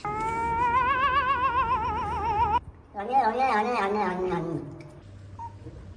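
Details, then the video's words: Cat making a strange noise: a drawn-out, wavering, warbling cry of about two and a half seconds with a fast regular tremble, followed after a short pause by a shorter cry that slides downward. "cat making strange noise"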